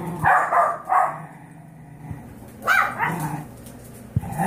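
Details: Five-year-old Yorkshire Terrier mother, rescued from a backyard breeder, fed up with her 5-week-old foster puppies: sharp yips and barks in short bursts near the start and again around the middle, with a quieter pause between.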